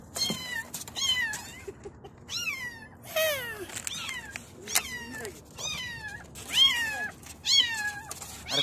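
High-pitched kitten meows come in quick succession, about one a second, each a thin cry that starts high and slides down. Some calls overlap, as if more than one kitten is calling.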